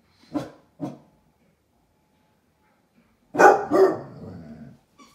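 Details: Young basset hounds indoors by a window, barking at a stranger outside: two short sharp barks, then after a pause a louder, longer burst of barking trailing into a rough, growly tail; a faint whine follows.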